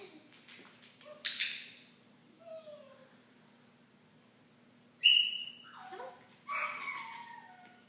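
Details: Benji, a 9-week-old Cardigan Welsh Corgi puppy, indoors, gives a few short high whines and yelps with sliding pitch, spaced by quiet gaps, with a steady low hum underneath.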